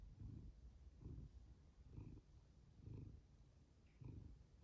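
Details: Domestic cat giving a steady low purr that swells about once every second with each breath, quiet and close.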